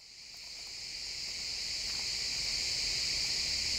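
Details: Crickets chirping in a pine forest at sunset, a steady high-pitched shimmering trill that fades in and swells over the first seconds, with no other clear sounds.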